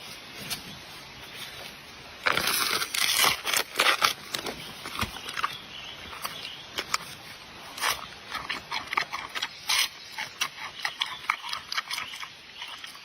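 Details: Giant panda eating bamboo: loud, dry crunching and cracking bursts, sharp snaps clustered from about two seconds onward, with quieter rustling and chewing between them. No calls or other animals are heard.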